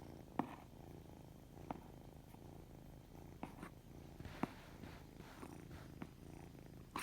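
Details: Even, low purring from a white kitten with odd-coloured eyes, punctuated by several soft ticks and rustles at irregular moments.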